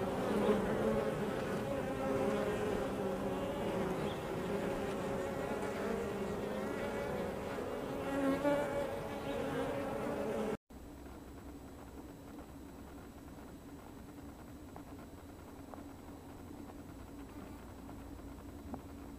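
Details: Honey bees droning loudly at their hive entrance for about ten seconds, then an abrupt cut to a much quieter scene with only a faint low hum and background noise.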